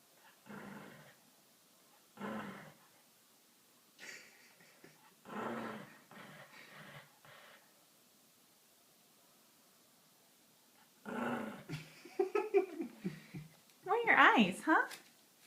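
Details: Pet dog imitating a motorcycle: rough, groaning rumbles in short separate bursts, a quiet pause, then a longer, louder revving run that climbs into higher, squeaky whines at the end.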